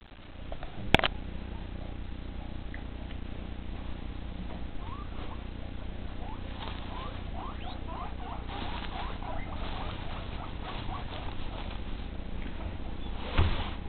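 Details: Guinea pigs, a group of females with a castrated male, at evening feeding: short rising squeaks scattered through, thickest in the middle stretch, over a steady low hum, with sharp clatters near the start and end.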